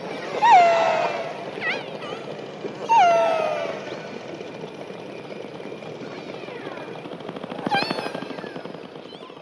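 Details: Killer whale calls: two short harmonic tones, each dipping then leveling off, about two and a half seconds apart, followed by fainter squeaks, a harsh buzzy burst near the end and steady background noise.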